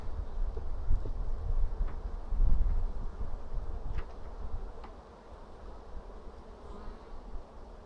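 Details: Colony of honey bees in an apiary, 2 April 2016, while frames are inspected for eggs and open brood: a thick, even low droning hum, louder early then settling, with faint clicks.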